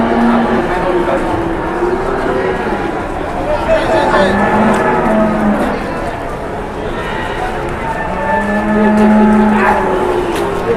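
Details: Large jumbo cattle at an Indonesian livestock market where they are up for sale. Several long, low, harmonic moos, one early, one mid-clip and a drawn-out one near the end, over steady crowd chatter and market bustle.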